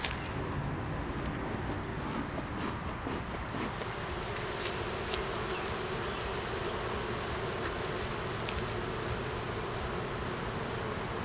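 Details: Honey bee colony buzzing while its hive is inspected in a beeyard, revealing a laying queen, honey, capped brood and larvae; a continuous even drone with a mid-pitched hum band, soft rustling hiss and scattered light taps.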